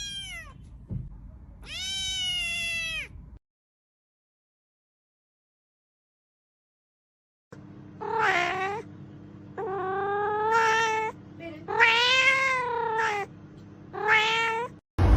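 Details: Repeated cat meows, two early ones then, after a silent gap, a rapid run of short and medium meows with rising and falling pitch over a low droning background.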